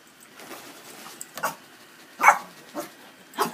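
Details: Yorkshire Terrier named Scarlett indoors, frightened by an inflatable Christmas penguin, giving about five short, sharp barks spaced roughly half a second to a second apart, with quiet room noise between them.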